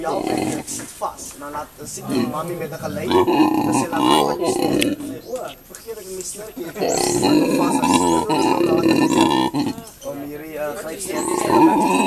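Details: Howler monkey at Monkeyland, South Africa, calling in family company of mate and three young. Choppy grunts open, then drawn-out hoarse roaring sections swell twice, separated by broken, stuttering vocal bursts.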